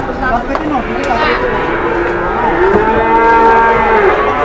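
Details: Very large cow lowing: a drawn-out, harmonic moo that rises then holds steady for over a second, with shorter low calls and people's chatter in the background.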